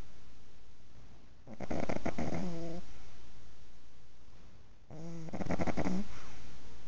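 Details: Sleeping pug, six months old, giving two rasping snores about three seconds apart, each a rough fluttering intake with a nasal, whistling tail, with quiet low hum between.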